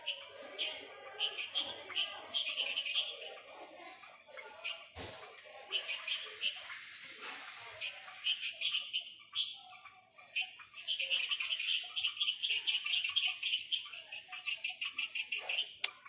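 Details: After dark in the Ara Ambigua frog garden, frogs give high, crisp chirps, sparse at first, then a dense run of rapid, evenly spaced pulses through the final five seconds.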